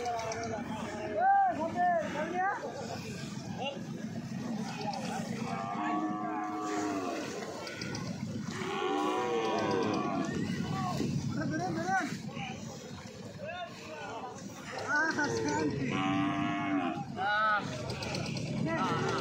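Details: Cows being unloaded: repeated drawn-out moos, some rising then falling, overlapping from several animals, with people talking and a vehicle engine in the background.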